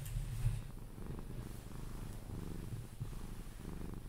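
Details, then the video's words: Pepe, a pet Sphynx cat, purring while being cuddled until falling asleep: a steady low rumbling purr with rhythmic in-and-out pulses about every second, close and indoors. "CUDDLING MY SPHYNX | 10 MIN CAT PURRING CUDDLES E KISSES SOUNDS"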